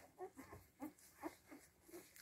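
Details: Seven-day-old Siberian Husky puppies give a handful of short, thin, nasal squeaks spaced roughly every half second, soft and slightly wavering, in a quiet indoor setting.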